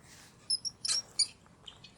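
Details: Mouse squeaking: a few short, very high-pitched chirps and squeaks scattered over two seconds, with faint background hiss.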